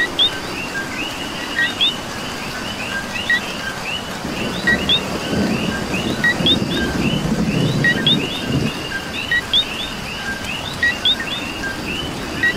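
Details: Rainy night chorus of coqui frogs from Puerto Rico: repeated two-note chirps, low then high and rising, stacked from many callers, with steady rainfall and a swelling low rumble midway through.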